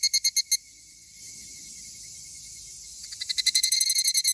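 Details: Two male higurashi cicadas, perhaps fighting: a rapid burst of ringing pulsed notes opens, a quiet gap follows, then a second fast pulse train swells up, all over a constant high insect drone.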